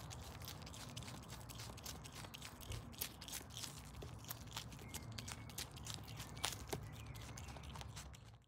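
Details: Adopted pet Brush Tailed Possum Paula chewing lettuce, silverbeet and carrot; rapid uneven crunching bites, about three per second, over a faint low hum.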